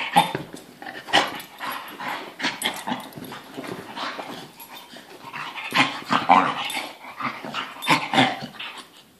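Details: Domestic dog indoors on a couch, giving a steady run of rough grumbling growls and whimper-like vocal noises that swell and fade in irregular bursts.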